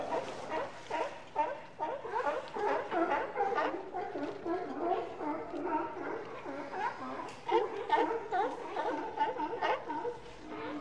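Sea lions bark and growl together in a dense, overlapping chorus of harsh, throaty calls.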